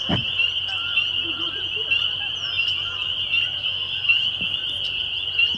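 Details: Spring peepers calling on a May 2021 evening at Laurel Creek Conservation Area in Waterloo, Ontario, Canada: a dense chorus fuses into a steady high-pitched ringing drone, with a brief low thump at the start.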